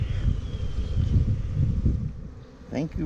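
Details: Low, rumbling buzz of a newly installed honey bee hive, 28 September 2018, as the marked queen is spotted; steady droning throughout, and a brief human voice near the end.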